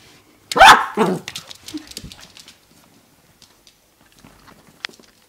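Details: A four-and-a-half-month-old dachshund puppy, running around in a crazy moment and barking for no reason, gives a sharp, high bark, then a second quick bark trailing into softer noises.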